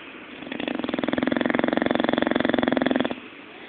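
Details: Zé, a pet bulldog, snoring while asleep and dreaming: one long, rough, rattling snore made of rapid even pulses, swelling in loudness and then stopping abruptly after about two and a half seconds, with quiet room hum around it.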